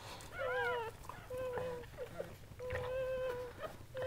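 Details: Goldendoodle whining while the mother dog Sandy gives birth to seven puppies indoors; steady mid-pitched whines, each held about half a second to a second, repeated three times with short pauses, with faint soft human voices.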